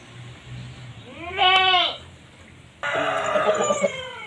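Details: Goat during mating; a loud quavering harmonic bleat that bends up then down, followed after a pause by a longer wavering bleat, over low rumbling background.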